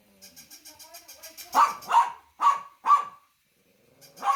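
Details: Dog barks four times in rapid loud succession after a run of soft rapid ticking, then falls briefly silent before one more bark.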